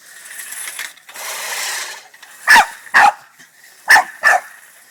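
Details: Boston Terrier annoyed by a push lawnmower gives four loud sharp barks in two pairs after a stretch of mower clatter.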